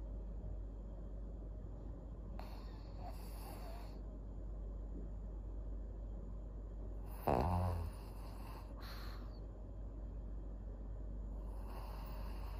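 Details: Maria, a fourteen-year-old fawn female senior pug in Japan, snoring: steady low rough breathing rumble throughout, with a short louder voiced snort partway through and a few faint hissing bursts of background noise.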